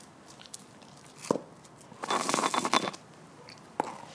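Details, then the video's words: Female Border Collie–Labrador cross Lilly gnawing a bone at the Stallgespräch Alfter farm, November 2015: a single crack, then nearly a second of dense rasping, tearing crunches, followed by one more sharp click. "Die Hündin Lilly kaut einen Knochen"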